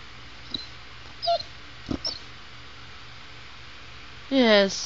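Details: Sugar, a pet female Chow Chow, 'talks' to her owner: a few faint soft noises, then a loud half-second whine near the end that rises in pitch with rich harmonics, in a quiet indoor room.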